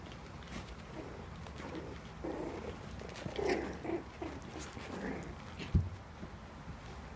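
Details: Four-week-old Cairn Terrier and Papillon cross puppies play-fighting; soft, low grunting growls come in short bursts through the middle, over a steady hum, with one sharp thump near the end.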